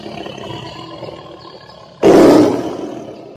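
After a quiet moment, a tiger lets out a sudden, harsh roar that swells and then fades.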